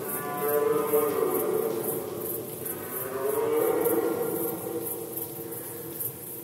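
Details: Red deer in rut season, Poland, 2020: drawn-out, moaning harmonic calls holding a fairly steady low pitch, with two swells of loudness. A regular faint high pulsing continues in the background.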